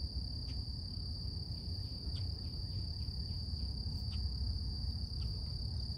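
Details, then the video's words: Morning cicada song outdoors, a continuous thin high tone holding level throughout, broken by soft clicks and ticks roughly every second, against steady low-pitched background rumble. "Relax With Cicadas Nature | Calming Insect Sounds"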